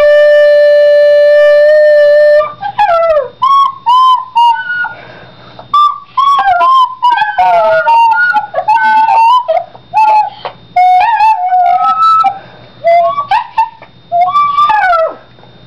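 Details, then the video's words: Pet Yorkshire terrier howling along with a recorder, copying its notes: one long steady recorder tone opens, then a run of short wavering, bending howls and yips, some rising, some falling, broken by brief pauses. "Yorkie sings for first time!!!!!!"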